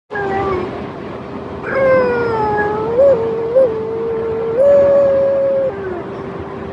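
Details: A small French Bulldog 'talking': a long, steady, tonal howl-like whine with bright harmonics, holding level, then stepping up in pitch in short jumps before dropping back, lasting about six seconds.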